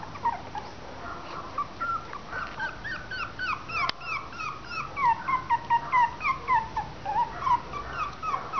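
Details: Three-week-old Westie/Maltese cross puppies give a rapid run of high, downward-sliding whimpers and squeals, several per second, growing louder and denser toward the end, one puppy's cries overlapping another's.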